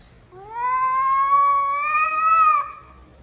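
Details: Domestic cat producing one long, steady, slightly rising meow lasting about two seconds, clear and tonal against a quiet indoor background.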